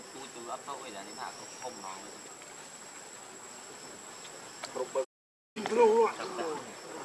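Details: Hungry baby monkey Leo cries to its mother for milk: soft murmuring sounds at first, then after a brief silence a loud wavering, up-and-down wailing cry near the end, with a thin steady hiss behind.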